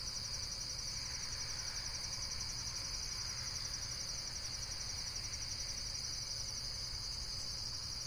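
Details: A continuous, very high buzzing trill from insects, finely pulsed and unbroken throughout, with a faint low hum underneath.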